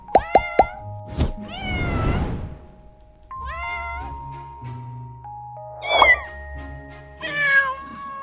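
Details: Kittens meowing: a few short plucked notes open, then a long sweeping meow near two seconds and several more harmonic meows later, all over a steady sustained music tone.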